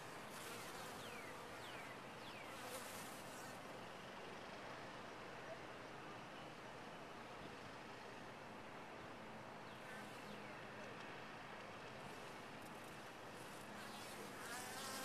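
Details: Long, continuous buzzing of bees in a top-bar hive, a thick low drone holding steady, with faint high chirps and hissing bursts at the start and end.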